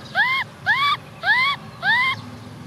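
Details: Orphan baby macaque Cola crying for a bike ride: four drawn-out, arching whines in steady succession about half a second apart, each bending up then sagging, with little else audible.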